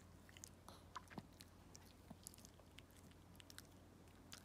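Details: Walt, a pet dog, eating treats during a chewing-sound session: faint, scattered crisp clicks and crunches at irregular intervals over a low steady hum, with no other clear sounds.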